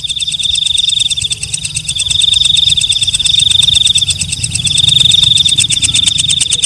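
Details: Walang kecek, a night katydid, calling: a steady high buzzing trill overlaid with rapid rasping pulse trains, briefly dipping in loudness near two seconds, then resuming and continuing evenly to the end.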